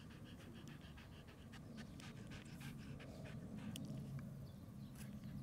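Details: Shiba Inu puppy panting softly, quick rhythmic breaths close to four per second forming a low, steady rasp; faint clicks and light background hiss, no other clear sounds.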